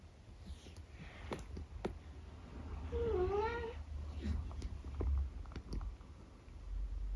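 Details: Eric, a 12-year-old tabby from the UK, makes a low, wobbling, drawn-out meow after a brushing, amid soft rustles and a steady low background rumble.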